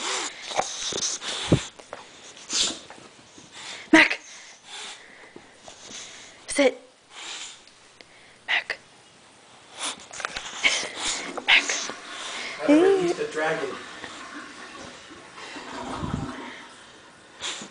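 An excited English Bulldog snorts, wheezes and grunts in quick, noisy bursts while people talk nearby.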